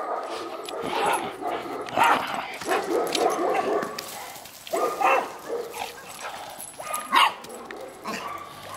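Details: Golden Retriever dog awaiting adoption, giving short, sharp barks and yips in irregular bursts roughly every one to two seconds, with a busy, noisy background between calls.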